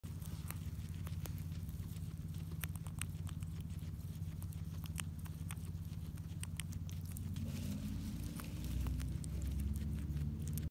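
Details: Guinea pigs eating: rapid, crunchy clicking and snapping bites pile up densely throughout, over a steady low hum, with louder rustling near the end.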